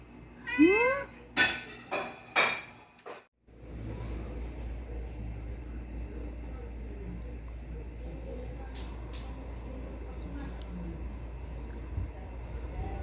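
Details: Hungry pet cat meowing for food during the owner's dinner: three or four quick, rising then falling meows in the first three seconds, followed by a steady low room hum and faint clicks.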